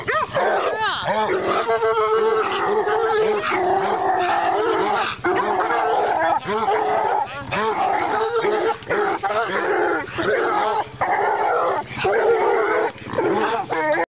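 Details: Three dogs worked on a caged raccoon keep up a loud, steady chorus of bays. The calls arch and overlap, repeating quickly, and are mixed with higher yelps and whining cries that carry through the whole stretch.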